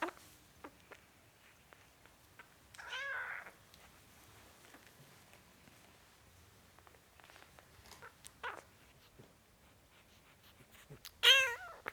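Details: Four-week-old kitten giving a few short, high meows spaced several seconds apart, the last one loudest, over quiet indoor background with faint clicks and rustles.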